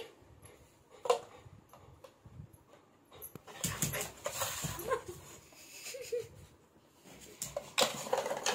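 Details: Febby, a white Labrador Retriever, reacts to a dancing doll it seems afraid of. Short, thin whimpers and yips come at scattered moments over rustling, shuffling indoor noise.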